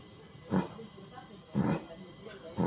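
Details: Cattle sick with haemorrhagic septicaemia, breathing with a snore: three harsh, rasping breath bursts about once a second, with a man talking faintly between them.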